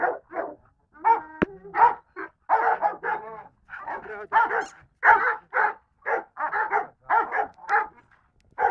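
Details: Golden Retriever giving a long run of rapid, sharp barks in close succession with brief gaps, steady and insistent throughout, with a knock early on.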